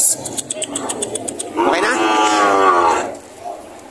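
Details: A cow at the Lemery, Batangas livestock auction in the Philippines on June 13, 2025, among breeding cows and heifers. A single loud, sustained moo of about one and a half seconds follows a stretch of clattering and voices.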